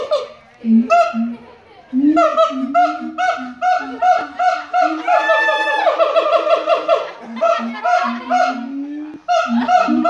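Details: Song of a siamang at the Los Angeles Zoo: barking hoots that build into a dense, rising, shrieking passage with overlapping calls, then fall back to spaced barks.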